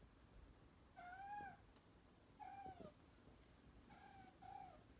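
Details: Pet cat with a characteristically high, soprano tone trying to get another cat to play fight indoors; three fairly soft, level meows about a second and a half apart over low room hiss.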